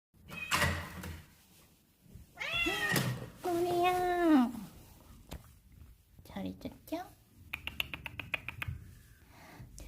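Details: A cat that comes out every day to meet its owner gives a few rising-then-falling, wavering meows in the middle, among a person's voice, background music and sharp clicking knocks.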